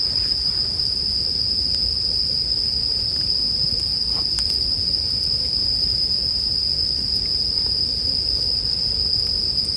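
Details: Steady, piercing ringing from bell crickets runs unbroken across the whole stretch, accompanied by a crackling bonfire with occasional brief pops and a low breathy rumble.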